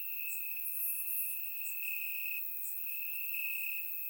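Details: Crickets in the grass on a warm summer night in Bulgaria, surround microphone: a constant piercing trill brightening in waves, accompanied by quick high ticking chirps from further insects.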